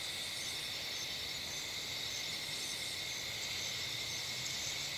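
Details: Summer-night insects in roadside bushes and trees near a streetlight keep up a continuous shrill buzzing hum, layered trills pulsing faintly, with soft low rumble beneath and no other clear sounds.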